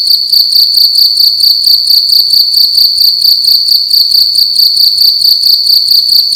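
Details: A cricket indoors in a room at night, singing loudly: a steady, high, ringing trill pulsed in quick rapid bursts, about one and a half pulses per second, with no other sounds.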